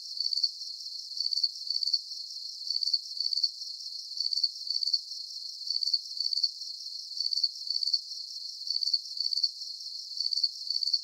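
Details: Soothing night crickets: sharp, high-pitched pulsed chirps come in a regular rhythm of paired and single bursts, steady in loudness throughout, with no other animals or noise.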